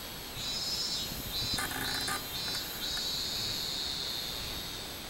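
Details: Robust cicada (minminzemi) recorded 24 July 2016: a steady, high buzzing drone runs throughout, with a brief harsh broadband rasp of some other noise in the middle.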